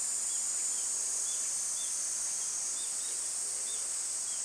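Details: Cicadas singing in summer: a loud, unbroken, high shrill buzzing drone fills the whole stretch, with faint short bird chirps scattered through it at an irregular pace.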